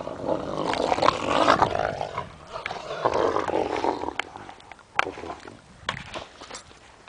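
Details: Alaskan tundra wolf vocalizing with loud, rough growls and snarls in the first half, then quieter intermittent grumbles broken by sharp clicks and knocks.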